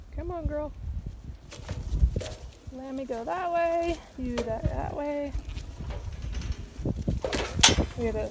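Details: Sheep being sorted by the sheepdog Bart, which is backing them; a series of short, wavering, harmonic bleats from several animals over about five seconds, with trampling hooves and rustling movement beneath.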